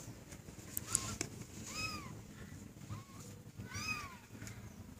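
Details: A kitten playing with a green teddy bear gives three short, arched meows that rise and fall. They are spaced about a second apart, with faint rustling and tapping from play between them.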